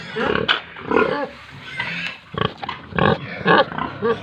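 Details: Pigs and piglets at a farm in Tripura, giving loud harmonic squeals in short bursts about every half second, some rising and falling, with grunting between them.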